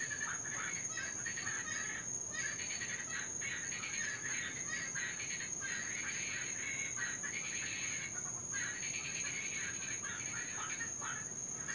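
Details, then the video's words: Cuban tree frogs, an invasive species in Florida, in a continuous night chorus heard especially during rain: dense raspy, buzzing bursts overlap nearly nonstop, with one brief lull near eight seconds and a steady high whine throughout. "NOISY TREE FROGS...(CUBAN)"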